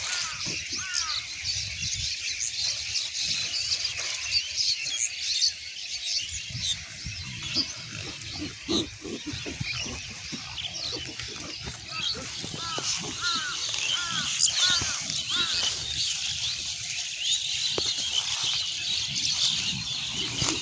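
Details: Pigs on a farm in Bangladesh giving short, bent squealing calls in scattered bursts, some paired, over a steady high hiss of background noise and low rumbling.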